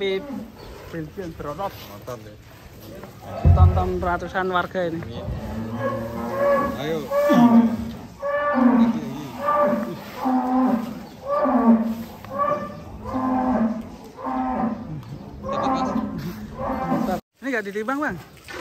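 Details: At an extreme-class cattle contest at Bintang Tani Farm in Indonesia, Belgian Blue cattle give a run of short, low lowing calls about once a second, with crowd noise and faint music in the background.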